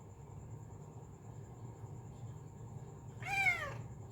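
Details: Sweetly calling female cat lets out one clear, bright meow near the end that rises and then slides downward, after a quiet stretch with only a soft low hum and a faint high whine.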